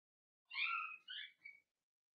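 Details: Indoors, a seven-week-old Cavalier King Charles Spaniel puppy from Daisy's litter lets out a thin, high whimper that breaks into three quick falling whines within about a second.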